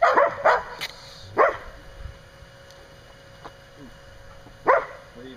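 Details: Kasha, a Standard Poodle outside the pen, barks while play-fighting Kairos near Mitsy and her 6 week old pups; a quick cluster of sharp barks at the start, one mid bark and a last bark near the end, faint whimpers between.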